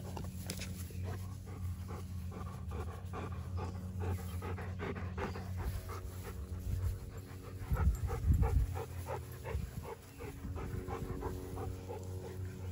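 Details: Dog panting as Erie, a Great Pyrenees/Border Collie mix on a week's stay, meets Hannah, a yellow Labrador Retriever, with Midnight and Odin nearby; rapid breathy puffs in an uneven run over a steady low hum, with a louder burst midway.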